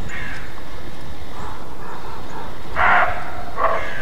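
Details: Roe deer giving its alarm bark, known as Schrecken: two short, harsh, hoarse barks near the end, preceded by fainter rough calls, over a steady low rumbling background.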